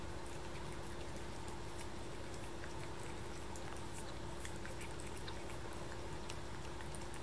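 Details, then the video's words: Luca, a 7-month-old kitten, licking paste: rapid soft wet clicks and smacks, roughly one and a half per second and unevenly spaced, over a steady low hum. "Cat licking paste"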